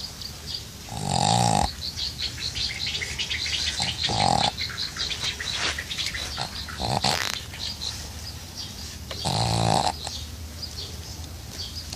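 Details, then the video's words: A pug in glasses sleeps through hot summer weather, giving harsh, vibrating snores at irregular intervals, three strong ones spaced several seconds apart, with quieter breathing and faint background hiss between them. "Мопс в очках храпит как человек"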